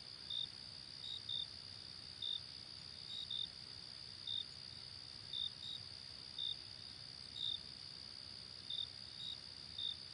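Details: Late summer night with crickets: an unbroken high-pitched ringing drone under brief sharp chirps repeating roughly every second, now and then doubled, with soft low rumble behind.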